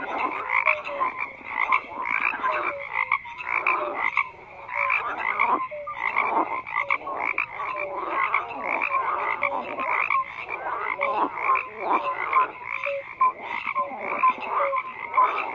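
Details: A chorus of frogs croaking in rapid, overlapping bursts of rough, rattling notes with brief gaps between them, while clear short whistled tones slide in and out beneath the clamour.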